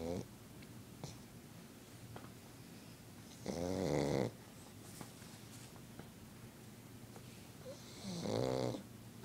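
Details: Sleeping pet pug RJ, who doesn't want to wake up, snores in two loud rattling, nasal bursts about four seconds apart, with soft breathing between them in a quiet room.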